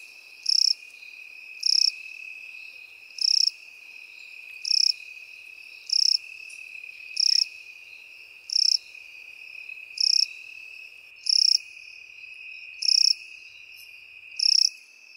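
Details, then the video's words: In a grassy field, crickets and grasshoppers keep up a steady pattern: twelve sharp, pulsed, high chirps arriving every 1.2 to 1.5 seconds, backed throughout by an unbroken, even-pitched insect buzz. "Сверчки и кузнечики в полевой траве"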